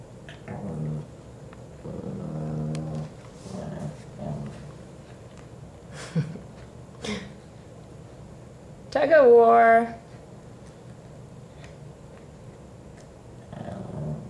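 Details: Rescue Shih Tzus Kiwi and Leo, surrendered for health issues and up for adoption, play tug of war indoors over a toy: low rumbling growls come in short bursts, then a loud, higher, strained vocal outburst near nine seconds, with people talking.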